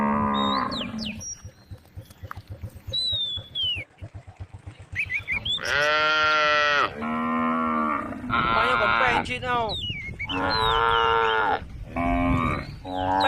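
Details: Cows roam along a road at the forest's edge as a female cow calls repeatedly, a series of loud, harmonic moos of varying pitch in quick succession, with faint bird whistles early on.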